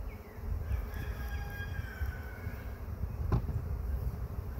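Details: First honey bee swarm of the year being caught: steady low droning buzz of many bees, with faint bird whistles above and a brief sharp knock near the end.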